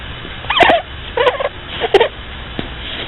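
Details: Sleeping pet rabbit snoring: three short, squeaky, wheezy bursts roughly every 0.7 seconds, separated by quiet breathing pauses, with a faint click near the end.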